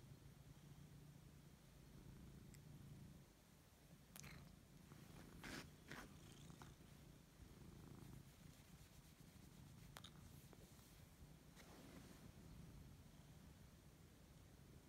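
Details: Male Siberian cat named Lexi purrs while he wakes up and is fussed; a low rumbling purr pulses steadily, broken by several sharp rustling and stroking sounds from handling.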